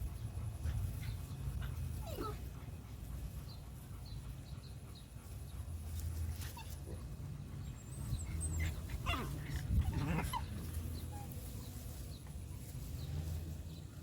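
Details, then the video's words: Male dog, shown running, gives faint, thin whimpers and short yips at scattered moments, a few rising briefly, clustered near the middle and end, all over a constant low rumbling background noise. "Dog running and male dog"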